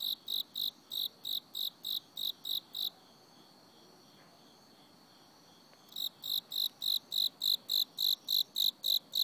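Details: Cricket singing in autumn: rapid, regular high-pitched chirps, about ten in under three seconds, then a silent pause of roughly three seconds before the steady chirping resumes and continues to the end.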